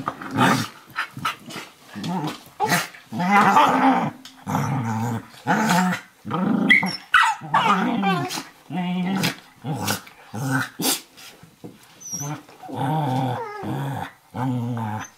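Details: Two dogs play wrestling over a lap on a kitchen floor: Firenza, an 11-week-old Eurohound puppy, and Brio, a 4.5-year-old Nova Scotia Duck Tolling Retriever. Fierce-sounding but playful rough growls and snarls come in short repeated bursts, with occasional sharp yips.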